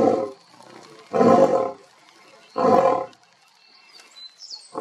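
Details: A male lion roars in deep, powerful half-second bursts, putting everything into it with steam visible, while two other males behind him also roar. Lion (Panthera leo), roar.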